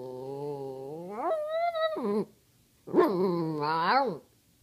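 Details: Pet dog's talking-style moans while asking for treats: a long steady whine that swoops upward into a higher held note, then a second arching yowl rising and falling, rich with harmonics, in a quiet room.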